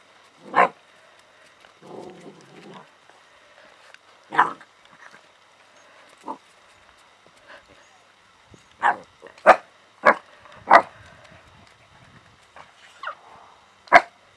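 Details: Alaskan Malamute puppies from litter H of Aragorn and Shadow, kennel ZHOWERLI in Ireland, playing with a cat: short, scattered yelps and squeals, some in quick clusters, with softer low grumbling bursts between them.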